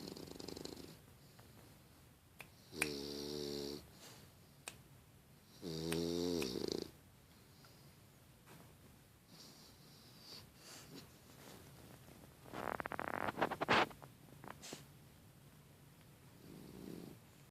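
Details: A 5-month-old female English Bulldog snores in deep, rattling bursts, each drawn breath buzzing with a rough, throaty vibration.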